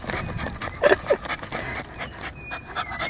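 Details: Tired poodle dog panting indoors: quick breathy puffs in an uneven rhythm, with a brief high whimper-like squeak near the one-second mark.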